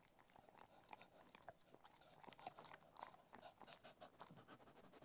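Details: A Cocker Spaniel eating different kinds of food crunches and chews, with quick irregular crackling bites and soft mouth noises.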